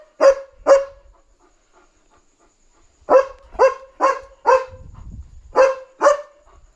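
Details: Leo, a German Shepherd, on night-time barking duty, signalling a dog outside: two quick barks, a pause of two seconds, then a run of four and a final pair, each bark short and forceful; faint low rumble midway.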